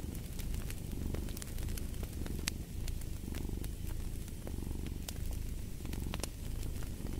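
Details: Continuous low, throaty cat purr pulsing in even waves roughly every second, layered with crisp snaps from a crackling fire.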